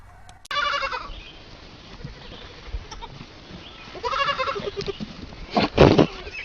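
A goat gives two loud, wavering bleats with strong harmonics, the second about three seconds after the first.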